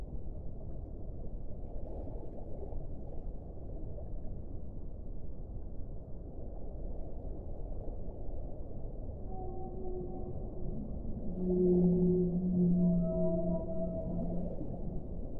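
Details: Deep rumbling water noise for several seconds, then whale song rises out of it: sustained moaning tones stacked in several pitches, swelling louder near the end and holding steady.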